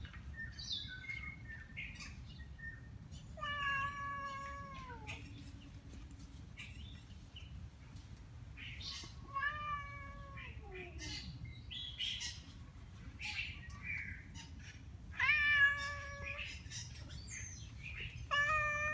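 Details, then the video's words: Tabby cat in a feral colony meowing angrily at other cats outdoors in autumn leaves: several drawn-out, falling harmonic-rich meows spaced a few seconds apart, with short rustles and steady low background hum between them. "Tabby cat meowing angrily to others"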